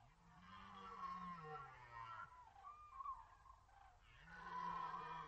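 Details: Red deer roaring during the rut at the Orzysz military training ground, archival recording: two long, drawn-out, deep moaning roars with a rising-then-level tone, the first lasting about two seconds, the second starting near the end.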